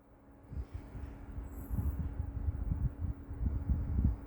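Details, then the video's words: Rescued Maltese dog named Meoteol snoring while asleep: soft, low, rumbling breaths pulsing steadily through the clip, with a faint high hiss briefly above. "유기견 말티즈 코골이 머털이"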